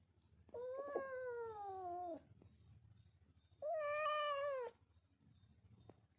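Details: Kitten giving two drawn-out meows, the first about 1.5 seconds long and falling slightly in pitch, the second shorter and fuller, separated by a pause of over a second in a quiet indoor setting.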